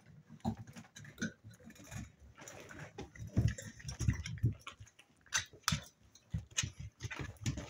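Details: Playing spaniel pups aged seven weeks, producing rapid low grunting growls in clustered pulses, interspersed with sharp clicks and scrabbling sounds.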